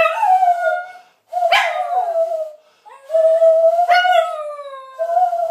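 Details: Pet dog singing along with a person: sustained, tuneful howls that hold a steady mid pitch, with sharper rising yelps inside them, in three phrases separated by short breaths.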